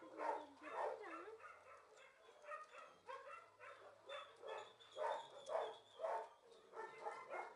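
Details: Kennel dogs at a shelter keep up steady barking roughly twice a second. The mid-pitched barks are interleaved with a few higher whining yips, and a faint low hum runs underneath.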